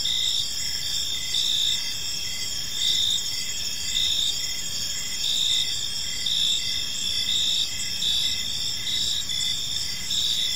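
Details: High, shimmering cricket chirping fills an evening park, rhythmic pulses recurring every second or so over a continuous insect drone.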